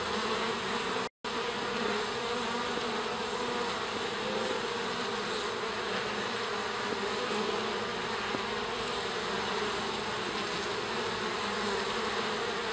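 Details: Honey bees leaving their hive in a garden to stretch their wings on an afternoon; a steady, dense buzzing drone of many bees throughout, with one brief dropout near the start.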